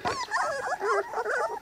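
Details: Several three-week-old Cane Corso puppies, offspring of Zola and Ziko, out in nice weather, whine and squeal together in thin, bending tones that slide up and down without pause.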